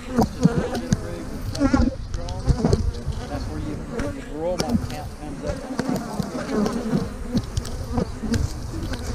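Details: Honey bees around opened hives being split, March 2020, queen cells in the splits: a thick low buzz with wavering fly-by tones, punctuated by frequent knocks and scrapes from working the boxes.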